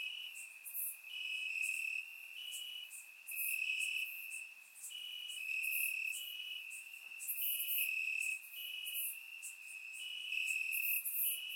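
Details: Crickets chirping in grass on a warm summer night in Bulgaria, recorded with a surround microphone: a steady high-pitched trill with pulsing bursts, joined by brighter, higher chirps that swell and fade every second or so.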